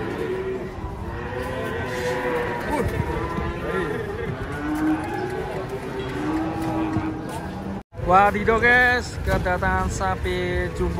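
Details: Cattle being unloaded from a truck, giving low, drawn-out moos with steady tonal bands under constant human chatter; after a brief silence, louder, excited voices take over.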